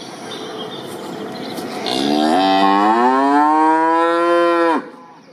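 A cow gives one long, loud moo that rises slightly and then stops abruptly.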